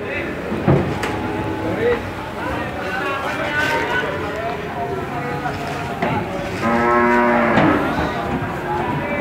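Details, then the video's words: Calves unloaded from a truck at the busy Randudongkal cattle market in Pemalang, Indonesia: a rich, harmonic moo swells near the end, rising out of a constant crowd murmur, voices and scattered knocks. "Keramaian Sapi pedetan turun dari truk pasar sapi randudongkal pemalang"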